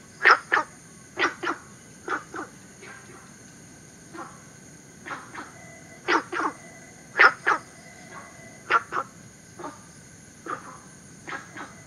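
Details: Günther's frog, native to southern China and introduced to Singapore. Clipped, knocking barks, mostly doubled, come in irregular bursts above a constant shrill insect drone.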